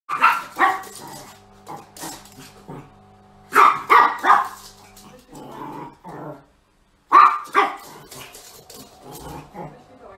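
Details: A dog barking in short sharp bursts, mostly in pairs or triplets, separated by pauses of one to three seconds, with a faint steady hum in the background and a brief silence near the seven-second mark.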